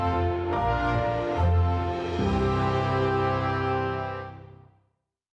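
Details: Orchestral theme music with sustained chords that fade to silence after about four and a half seconds; no animal sounds.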